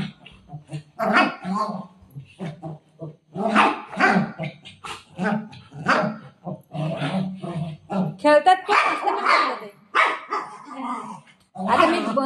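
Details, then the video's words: Shih tzu playing with a ball alongside a golden retriever indoors at home: short, sharp broadband barks burst out repeatedly across the stretch, interleaved with a woman talking in Marathi between and over them. "shih tzu barking video"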